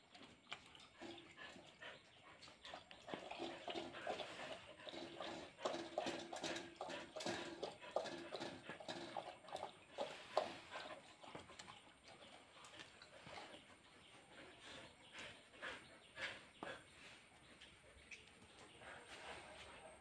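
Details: Pet husky and border collie fighting in Kerala: rough, harmonic growls, whines and yelps in rapid, irregular bursts, two or three a second, over constant scuffling and movement noise for most of the clip.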